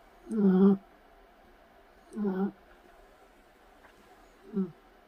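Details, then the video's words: A Shih Tzu puppy snores in its sleep, giving three low, rough, buzzing breaths about two seconds apart, the last one shorter and softer, in a quiet room. "코골이 시츄강아지"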